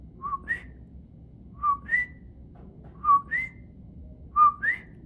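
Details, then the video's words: Common coquí frog heard at night in the El Yunque rainforest area of Puerto Rico, calling all night long; a two-note whistled co-kee, a lower short note then a higher upslurred one, repeated four times about every 1.4 seconds over quiet background. "At nighttime, we would hear the sound of the frog, coqui. It sounds like this."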